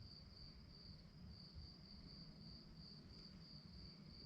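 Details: A cricket chorus after dark: a high, thin, steadily throbbing chirp that barely varies in pitch or loudness, set against a quiet low background murmur.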